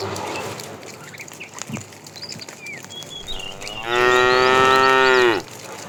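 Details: A fat cow in a tame herd being driven in the afternoon calls the female. It gives one loud, drawn-out, steady moo lasting about a second and a half, dropping at the end. Quieter rustling and faint small-bird chirps come before it.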